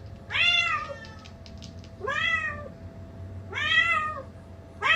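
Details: House cat calling anxiously indoors after hearing recordings of its own meow; three clear, strongly harmonic meows, each rising then dipping, spaced roughly every one and a half seconds, with faint clicks and a background hum.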